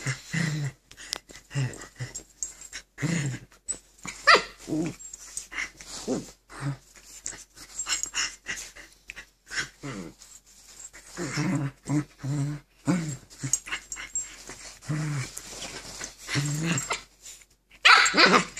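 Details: Two Keeshond dogs wrestle on a bed, fighting for control of it indoors; continuous low throaty growls pulse in short repeated bursts throughout, with snarling rises and a sharper bark-like outburst at the very end.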